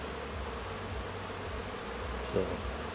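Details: A continuous low drone of honey bees outside the hive as new foragers take orientation flights, with one brief faint knock near the end.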